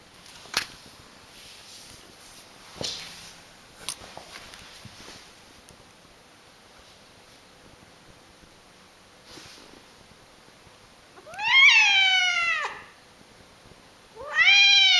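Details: After scattered knocks and rustling, a screaming pet cat lets out a loud wavering wail lasting just over a second. A second harsh cry begins near the end of the recording.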